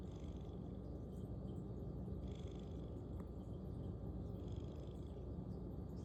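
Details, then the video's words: A sleeping domestic cat snoring loudly, a steady low rumbling breath sound running throughout, deep and continuous without clear pauses, with faint higher room noise above. "Snoring Cat"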